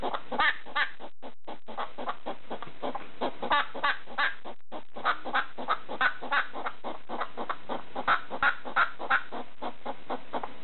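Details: Pet hedgehog barking at a slipper in the middle of the night: rapid, short, clucking pulses repeated about three times a second in an uneven rhythm, with brief pauses between bursts.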